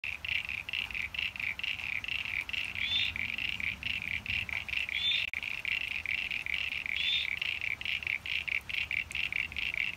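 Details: Common eastern froglets (Crinia signifera) and squeaky eastern sign-bearing froglets (Crinia parainsignifera) chorus in a rain-filled pond, NSW Australia, 9 September 2022, vocal day and night: dense rapid high clicking pulses with occasional squeaky rising calls.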